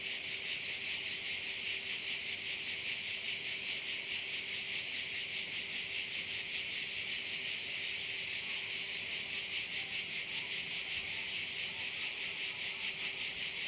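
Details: Crickets calling by a bay in Korčula, Croatia, a continuous high sizzling chorus with regular rhythmic pulsing, around 150 beats a minute, and nothing else prominent.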